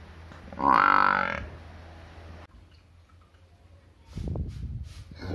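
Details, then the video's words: A village cow lets out one short, strong, harmonic moo early on, followed by quiet background and then a burst of low rustling and knocking. "cow video | Village animal video"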